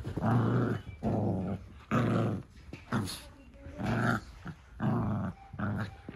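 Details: Fourteen Cavalier King Charles Spaniel puppies tearing around a living room with the zoomies in the morning; gruff, buzzing growls come in bursts roughly once a second, each rough and low, separated by brief pauses and faint household noise.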